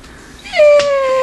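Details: Female Neapolitan Mastiff indoors, begging for an emptied peanut butter jar, January 2015: a short, high, steady whine that slides slightly downward and holds, with a person's voice just before.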